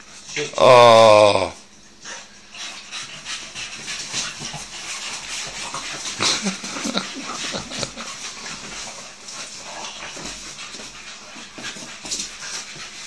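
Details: A Staffordshire bull terrier at play with another gives a loud, wavering whine lasting about a second, followed by quiet chatter.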